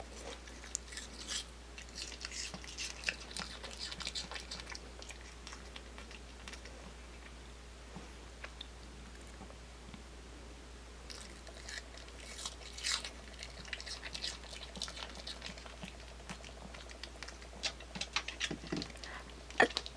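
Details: Kimdungi, a pet dog, eating an apple indoors: scattered crisp crunches and wet chewing clicks, quieter stretches in the middle, and denser bursts of bites toward the end against a steady low hum.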